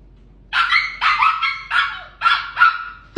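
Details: Samoyed puppy barking at a frightened orange cat in her home: five or six sharp, high yapping barks, about two per second, each with a slightly falling pitch, ending in a loud knock.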